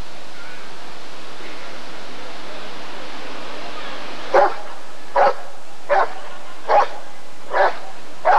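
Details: Rottweiler at a 1994 ADRK Körung breed survey, barking: after about four seconds of low background hum, six sharp, loud barks follow at a steady pace of roughly one every 0.8 seconds.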